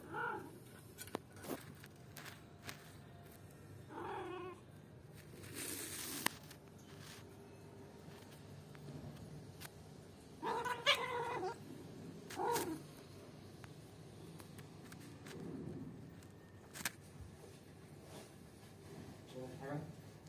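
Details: Two house cats, a one-year-old and a three-month-old kitten, play-fighting indoors, the play turning rough as the older cat grows angry. Scattered short yowls and whining cries in bursts amid scuffling and knocks.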